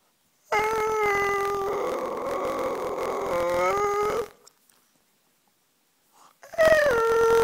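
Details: Talking dog producing a long, loud, sustained howl with wavering, yodel-like pitch for nearly four seconds, falling slightly at the end, then silence before a second howl begins.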